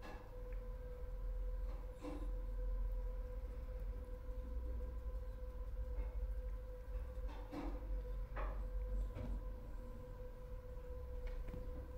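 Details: A deep rumble like a train with faint clacks and a steady hum, with no animal voice.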